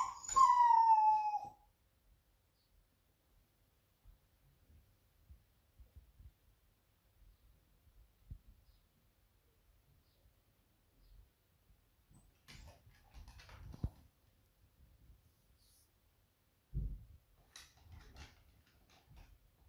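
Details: Smudge, a female Beagle at home anticipating her owner's return, gives one clear falling whine-howl at the start, then mostly quiet with faint knocks and rustling.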